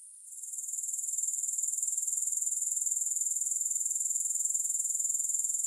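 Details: A grasshopper trill swells in from quiet within the first second, then holds as a bright, high, evenly pulsed shrilling about four beats per second, with no music.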